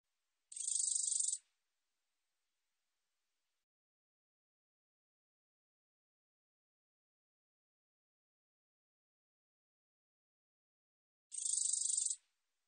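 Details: A katydid gives two short, sizzling high buzzes, each about a second of fast pulses, separated by around ten seconds of silence. Recorded in 2020 by the National Institute of Biological Resources.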